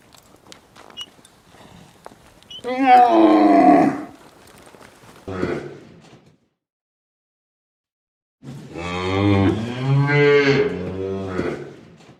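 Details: Cow lowing: a rough, one-second bellow, a brief lower grunt, a pause of silence, then a long, deep, drawn-out moo of about three seconds that wavers and fades.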